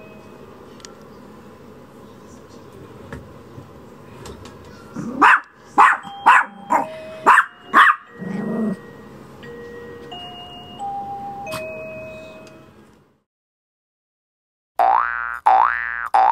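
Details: Kuromame, a pet Chihuahua kept as a shop dog, barks warily: about five sharp barks in quick succession. Human voices come before them, and edited musical tones and a springy sound effect follow.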